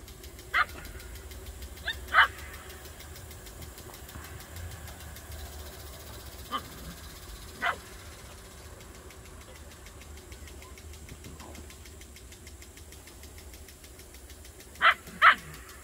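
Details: Bouvier des Flandres puppies in a garden, giving short sharp barks scattered through the recording, with a pair of louder barks near the end, over a steady low engine-like hum.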